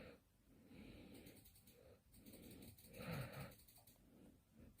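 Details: Kkandol-i, a sleepyhead puppy, snoring while asleep indoors: raspy, wheezing snores in slow breaths about every two seconds, each swelling and fading, with a louder, rougher snort in the middle.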